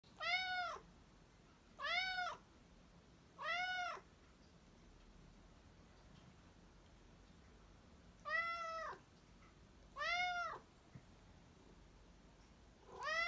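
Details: Black domestic cat meowing indoors: six arched, harmonic meows, each under a second, spaced irregularly with a longer pause mid-sequence; quiet room background otherwise.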